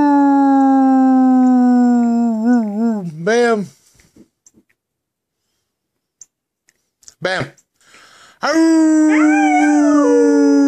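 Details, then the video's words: Pet dog howling indoors, singing along with its owner: long sustained tones with wavering, vibrato-like pitch sliding downward, a short break of near silence, then a second rising and falling howl. "Bam singing with me."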